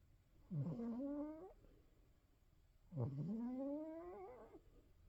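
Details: An old male Norwegian Forest Cat snores while asleep, each long breath a droning, slightly rising wheeze; his snoring has been getting louder with age.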